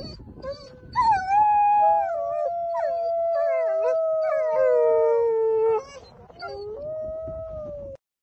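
Several wolves howl together, long smooth tones that slide up and down and overlap in a chorus.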